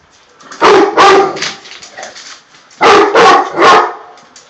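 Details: Tosa Inu guardian dogs barking: two loud bursts of deep, harsh barks, three barks in each, about half a second apart, with a pause of over a second between the bursts.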